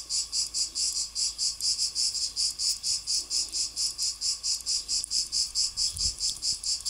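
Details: Cicada song, Greek name τζιτζίκι: sharp high buzzing bursts repeating evenly about twice per second, each swelling and fading, with a faint low hum and one soft knock near the end.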